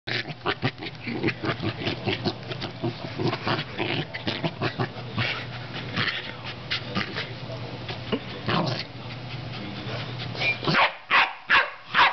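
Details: Corgi attacking an air pump, making rapid, rough grunting and snorting noises in quick bursts, with a mechanical hum beneath and short sharp yips near the end.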